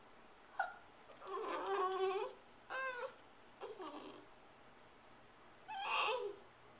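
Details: Female Shiba Inu indoors, filmed April 23, 2010, vocalizing to urge her owner to hurry with dinner while nosing toward the fridge: a few short, whiny, yodel-like howls and whimpers with gaps of quiet room between them.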